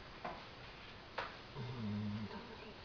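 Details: Halle, a pet dog, snoring in her sleep after a tiring day indoors: two faint clicks, then a short, low, tonal, buzzing snore lasting under a second, followed by quiet room hiss.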